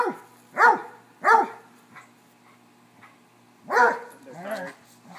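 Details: Dogs at play, a Cocker-hound mix, a Basset and a corgi chasing each other, give two quick loud barks, then one more after a pause, and a person speaks over the end.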